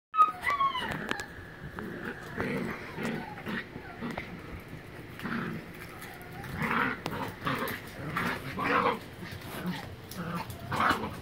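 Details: Three Miniature Pinschers play-wrestling on a living room floor, with rough grumbling growls and snorts in short bursts, a couple of thin squeaky whines near the start, and scuffling throughout.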